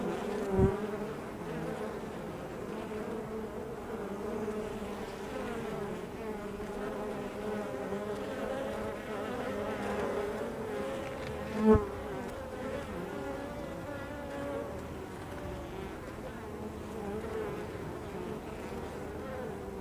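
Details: Steady droning hum of numerous honey bees at the entrance to their hive. The overlapping buzz tones hold even throughout, broken only by two brief knocks, one near the start and one around the middle.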